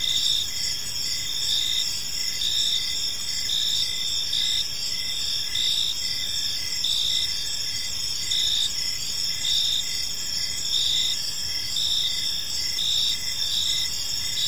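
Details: Crickets in a park at evening, chirping in a bright, insistent chorus; short pulsed bursts recur about every second over a continuous high-pitched ringing hum.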